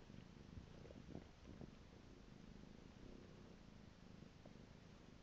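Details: Low, buzzing purr from Piko the house cat, rhythmic and unbroken, with a couple of brief soft taps near the start.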